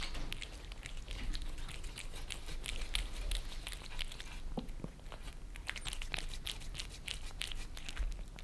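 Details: Lissy, a Maine Coon, and Fritz, a British Shorthair, lap creamy treats from a glass table in a German home. Crisp, rapid tongue clicks come in close clusters, with brief quieter gaps.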